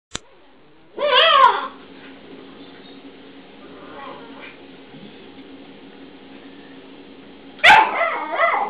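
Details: Dog filmed with a Newfoundland and a young Malamute puppy, recorded on an old cell phone: two brief high wavering whines about six seconds apart, with a steady hum and faint rustling between them.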